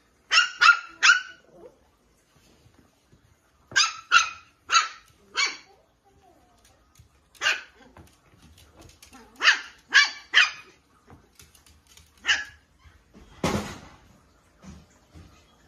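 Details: Chie, a Toy Poodle, barks while playing with a Tamiya Lunch Box RC off-road car: quick clusters of two to four high, sharp barks, then single barks with pauses between, and a brief thump near the end.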